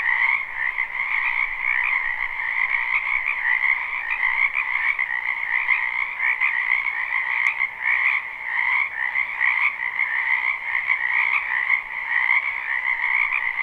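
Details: A live spring recording from a wetland behind a house, full of croaking frogs: a continuous, throbbing chorus of overlapping rattly trills with gentle swells in volume, interrupted only by faint clicks.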